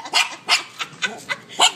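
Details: Pair of Shih Tzus, Macky and Hershey, calling to each other at home: six short, bright yips and barks spaced about a quarter second apart, each a quick burst, clean with little background.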